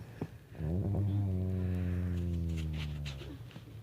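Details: Sleeping pet dog snores indoors: a soft lead-in, then a long, low, buzzy rasping breath that holds steady for about three seconds before fading, with faint rustles behind.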